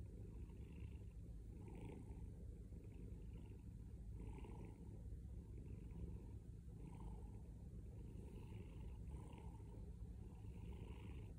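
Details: Domestic cat purring loudly and steadily, a deep rumbling drone with faint rhythmic breathing pulses roughly every second, no other sounds.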